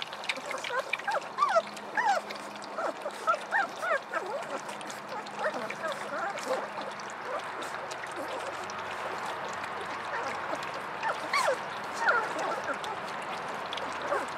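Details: Several hungry puppies playing during their early discovery stage let out many thin, squeaky whimpers and short rising whines scattered throughout, over constant rustling, clicking and a faint low hum.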